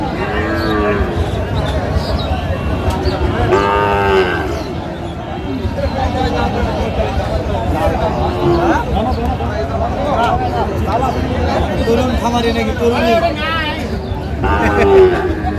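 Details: Sahiwal cattle at a cattle market linked to Jessore, Bangladesh, where a bull calf is being bought; several deep, drawn-out moos rise and fall near the start, middle and end, over steady bargaining voices and crowd chatter.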